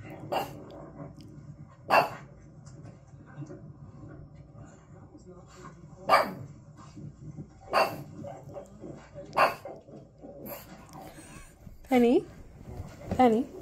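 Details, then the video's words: Female pug barking at a TV screen playing videos of herself, giving sharp single barks every one to four seconds with quiet gaps, then a couple of whiny rising-falling yelps near the end; faint background hum. "PUG barking at the TV while watching her OWN YouTube Videos!"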